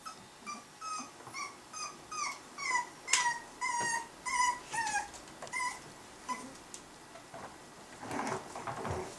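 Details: Two Norwich Terrier puppies, seven weeks old, indoors: a run of high, thin whimpers and yips repeated about twice a second, each with a bright rising-falling tone and clear overtones, ending in a louder scuffle.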